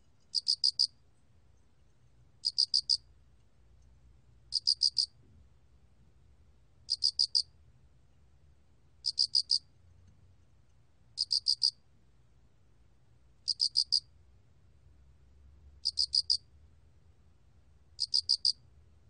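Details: Cricket (알락귀뚜라미) from the National Institute of Biological Resources, 2020, producing nine evenly spaced, shrill chirps about every two seconds. Each chirp has four fast pulses, and a gentle low hum lies underneath.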